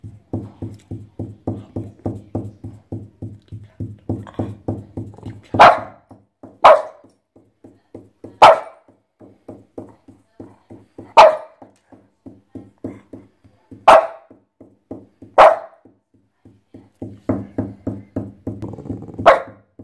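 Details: French Bulldog going wild in a bathtub, letting out about seven loud, abrupt barks at irregular intervals of one to three seconds over a steady, low, rhythmic pulsing sound running throughout.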